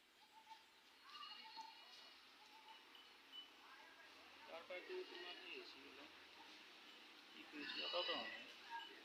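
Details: Goats on a goat farm in Assam, giving faint, wavering harmonic bleats near the start and a louder one around eight seconds, with quiet voices and low background murmur between calls.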